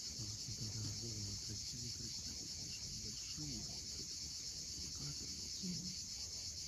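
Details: Cicadas on the steep Crimean seashore at Cape Fiolent, sunset: an even, shrill continuous whine fills the clip. Scattered low warbling notes and waves run beneath.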